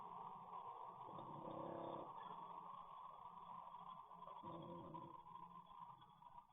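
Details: An English bulldog caught on CCTV snores heavily in its sleep, rough rattling breaths; two strong snores swell and fade a few seconds apart over a steady background hum.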